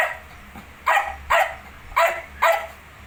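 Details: Shih Tzu dog, kept with its 19-day-old puppies, gives four high yapping barks spaced roughly half a second apart, each bright and clipped, after a softer faint yip.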